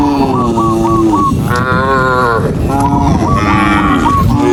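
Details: ['A herd of tame cattle on the move, dozens walking together; one low moo rises and falls in the middle, with shorter lowing around it and strings of rapid, high whistled notes above.']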